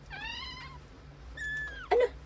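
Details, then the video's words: British Shorthair kitten crying in its sleep, as if having a nightmare: two thin, high mews, the first slightly falling and about half a second long, the second longer and level before dropping, then a short louder squeak over a low hum. "Nanaginip na pusa, umiiyak habang natutulog. Kitten Having a nightmare, crying while asleep"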